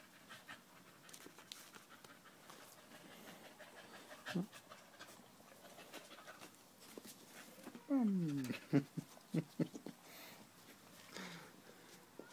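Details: A dog named Danco, clinging to someone's leg, recorded 5 August 2013, pants in uneven breathy bursts, with a human voice speaking clearly in the middle of the recording.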